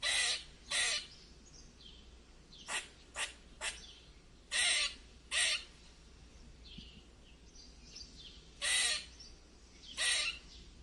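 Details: Squirrel giving weird squeaks: harsh, raspy broadband bursts, some single and some in quick pairs, spaced irregularly over about eleven seconds, with faint thin chirps audible in the quiet gaps.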